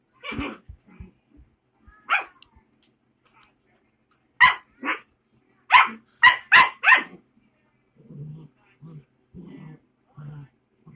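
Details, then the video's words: Puppy giving short, high yapping barks, scattered singly and in a quick run of four around the middle, then softer low grunting whines near the end. "Puppy making noise"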